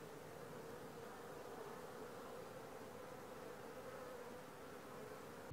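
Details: Honey bees droning at the landing board of a newly populated langstroth hive, day four after transfer from a nuc; an even, continuous buzzing hum throughout.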